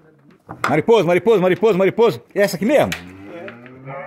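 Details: Cattle in a corral during manual morning milking, calves suckling at their mothers' teats; short harmonic bleating calls repeated about three times a second, then a lower drawn-out falling moo, with a man's voice talking alongside.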